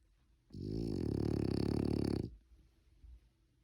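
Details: Sleeping French Bulldog gives a single long, loud, rattling snore of nearly two seconds, deep and pulsing rapidly, with quieter breathing sounds afterwards.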